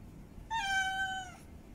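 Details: A single sustained meow from a female cat in heat calling for a mate, steady and tonal with strong harmonics, lasting close to a second and slowly sliding downward at the end.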